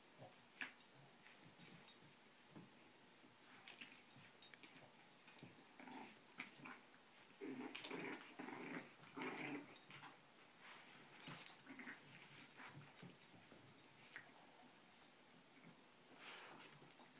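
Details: Four Boston Terrier pups pile onto their older brother, biting him during play. Short growls and yelping bursts cluster mid-recording amid scuffling. Thin high squeaks are scattered throughout a small-room setting.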